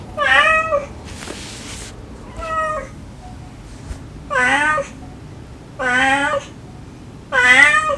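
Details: Stray domestic cat and kittens, a mother calling her young and the kittens responding in sweet pleading tones; loud, clear, wavering meows repeated about every one to one and a half seconds, six in all, with one brief hissy rush of noise.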